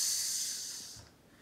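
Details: Madagascar hissing cockroach (Gromphadorhina portentosa) gives a loud, airy, steady hiss that fades after about a second; a defensive hiss that wards off lizard predators by sounding like a snake.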